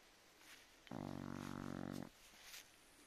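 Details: Chow Chow dog asleep, giving one drawn-out, rumbling snore of about a second, low and buzzy with a rapid fluttering pulse, set against a quiet room.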